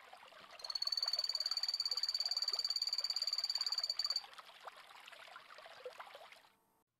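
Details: Phantasmal poison frog (Epipedobates anthonyi) trilling: after a quiet start, a loud high pulsed buzz runs for three and a half seconds, then only scattered soft background noise that fades to silence.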